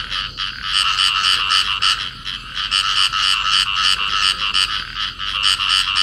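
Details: Field frogs, a pair calling while embraced in amplexus: rapid rasping croaks pulsing about three to four times a second in steady rolling bursts, with brief pauses between runs.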